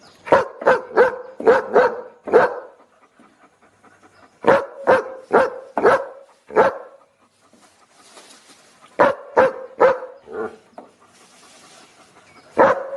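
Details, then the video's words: Dog barking repeatedly in tight bursts of five or six sharp barks, pauses between bursts carrying light panting and a soft hiss, then another volley. "30 Minutes Dog Barking Looped"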